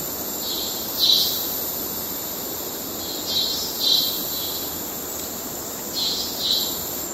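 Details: Cicadas in Kerala, males giving courtship calls: brief high buzzy pulses, often in pairs, recurring several times across the stretch against a constant thin high whine and diffuse ambient noise.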